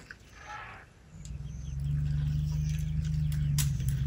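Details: Herd of elephants at night right outside a tent in Tarangire National Park, Tanzania, feeding on tree limbs; a deep, steady purring rumble swells in after a quiet start and continues unbroken, with faint rustles above.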